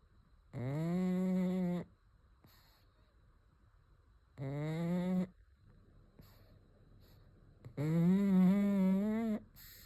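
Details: Rhythmic snoring from a sleeping pug: three rasping, humming snore bursts roughly three seconds apart, the final one the longest and loudest, with near silence in between.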